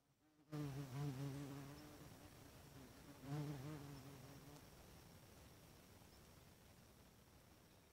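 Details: Bald-faced hornets close up at their nest in the evening while building it: two low droning buzzes with rich overtones, each lasting about a second and a half, rising and falling slightly as insects fly past. Quiet hiss between them.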